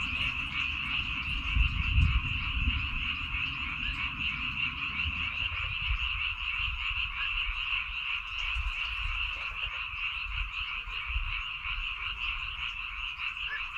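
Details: Massed frogs calling from rice paddies on Baengnyeongdo Island, a constant rattling trill of overlapping croaks; a low rumble and a few thumps fill the first seconds, then fade.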